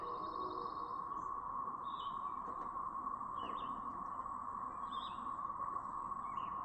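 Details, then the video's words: Cicada brood recorded May 7, 2024 in Chapin, South Carolina, giving a continuous siren-like whine at one steady pitch; several birds add scattered chirps and short downslurred whistles over the droning chorus. "The "Siren" Sound Effect From A Brood of Cicadas!"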